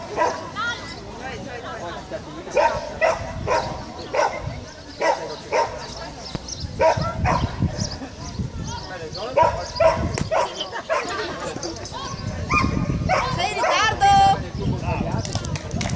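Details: Whippet at an agility event in Sarnonico, Trentino, Italy, 13 July 2014: repeated excited barks at irregular intervals through a noisy run, mixed with spectators talking, handler commands and background music.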